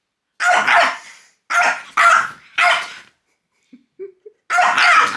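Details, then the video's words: French bulldog Loki barking at fingers pointed at him, which he hates: three loud, raspy barks in quick succession, a few soft squeaks or whines after a brief gap, then one more forceful bark. "WHAT POINTING FINGERS AT DOG CAN DO"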